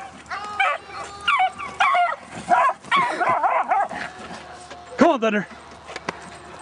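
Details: One beagle out of two yelping while chasing a Great Dane: clusters of high, wavering yips and a longer rising-falling bay near the end, with a person calling to the dog at the same time.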